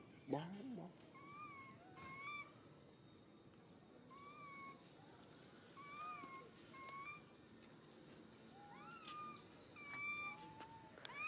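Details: Suca, a hurt baby monkey grabbed by Susan, cries out over and over: brief, even, piercing notes spaced about a second apart, a sharper squeal at the start and some rising cries near the end.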